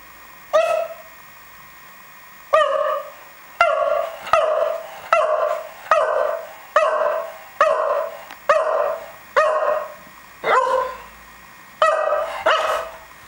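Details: :Dog barking while rolling around, said to sometimes sound more high-pitched; a series of short, mid-pitched woofs, roughly one every second with a few longer gaps, each bark a bright harmonic burst.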